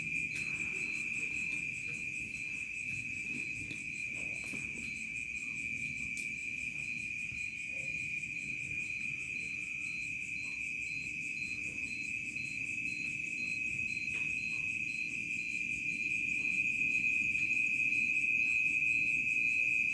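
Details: Village crickets at evening turning to night; a continuous, even, high trilling drone with rapid regular pulses dominating throughout, a fainter higher shimmer above, little else heard.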